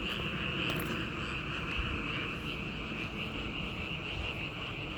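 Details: Frogs calling together outdoors in a dense, continuous chorus, a steady pulsing trill that holds one pitch band without pause for the whole stretch, with faint low rumbling underneath.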